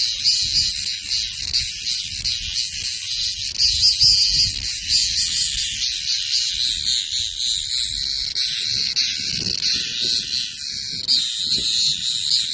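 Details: Screaming cicada: a continuous loud, shrill buzz with pulsing bands, held steadily throughout with slight wavering in intensity, over faint low rumbling background noise.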